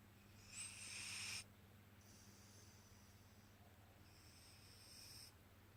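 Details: A cat asleep and snoring, giving a loud rasping hiss lasting over a second, then softer drawn-out breaths and another faint hissy exhale, all above a constant low electrical hum.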